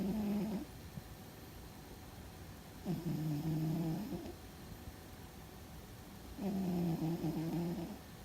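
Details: Fuzzy, a sleeping house cat, snores loudly, perhaps dreaming: low, droning, harmonic breaths, each lasting about a second and a half and recurring roughly every three and a half seconds, with quiet gaps between them.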